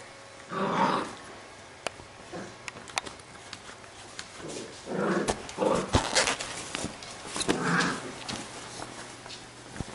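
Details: Labrador retriever puppies from a B-litter playing together; rough, growly bursts and short yaps come in clusters about every one to two seconds, with sharp knocks and clicks between them.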